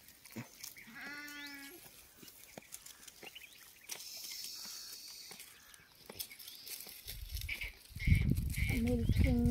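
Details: Goat in a farm field during milking, one clear wavering harmonic bleat early on and a second shorter bleat near the end, with a person talking, rustling and handling noises around it.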